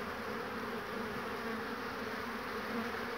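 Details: Crowd of honey bees at the hive in March 2019, large numbers flying back laden with pollen; an even, continuous droning buzz with layered low hum, cutting off abruptly at the end.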